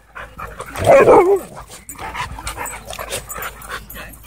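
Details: Siberian Huskies locked in a play fight at a dog park: one strong wavering yelp-howl near the start, followed by lower grumbling growls and scuffling.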